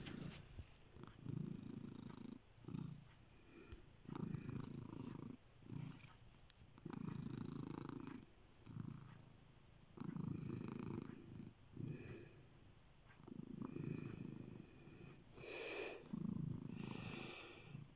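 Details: Continuous cat purr, deep low rumble pulsing louder roughly every two seconds in breathing rhythm, softer stretches between, with occasional brief rustling noises, one brighter scrape near the end.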